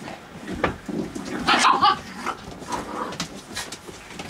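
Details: Puppies playing at night, giving short high yelps and squeaky cries, loudest around the middle, over a low rumbling background with scattered clicks and knocks.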